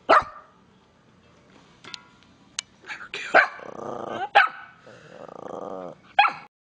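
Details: Pepper, an angry Miniature Pinscher, lets out sharp, abrupt barks at the start and end, with drawn-out buzzy growling snarls in between. A few clicks and knocks also sound through the room.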